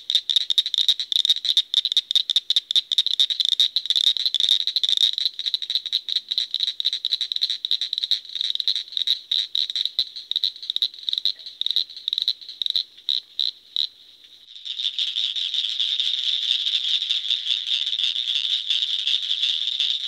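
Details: Frog producing rapid high-pitched pulse trains that run together into a rattling trill, then merge into a steady, continuous buzzing trill for the final seconds.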